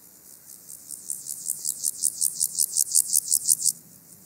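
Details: Song of a water-meadow grasshopper, Andechs, Germany, 21 September 2018, ultrasound detector: a single bout of about fifteen sharp, raspy pulses, quiet at first then louder, lasting around three and a half seconds.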